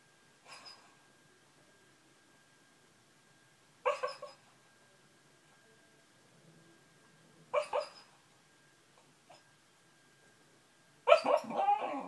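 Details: A sleeping dog barking in its dream indoors, a louder episode of a habit it often shows: four short muffled woofs spaced about three to four seconds apart, the last one longest and loudest, with a faint steady hum between them.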